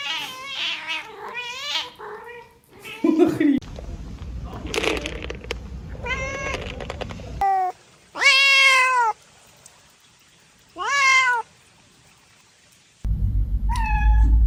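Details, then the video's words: Cat giving several short and drawn-out meows, some bending down in pitch at the end. Human speech and low rumbling background noise fill the gaps between calls. "Cat Sounds | Sounds to attract cats"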